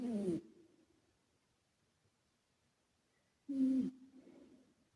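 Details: Karumo, a male British Shorthair and former rescue cat, snoring while asleep, with an echo effect added: two low, rough snorts about three seconds apart, each trailing off in a fading echo.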